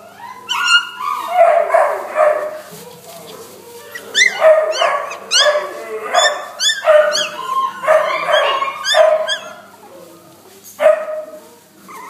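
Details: Young male Pomeranian dog giving a rapid series of short, high whines and yelps, each sliding up then down, repeated in bursts with brief pauses between them, indoors.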